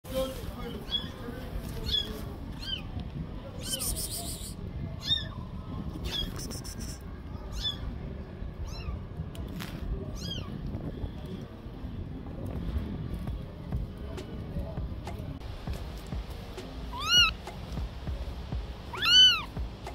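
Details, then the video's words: Orphaned stray kitten crying and asking for help: thin, high mews that arch up and down. Several faint cries are scattered through, then two louder, drawn-out cries come near the end, over a steady low rumble and light clatter. "The Orphaned Kitten was crying and asking for help"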